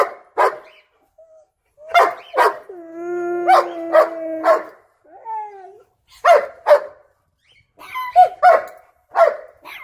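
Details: Excited German Shepherd pestering its puppies, giving sharp barks in short pairs broken up by a drawn-out, wavering howl-like whine and a brief yelp, then more clustered barks and a high squeaky whine near the end.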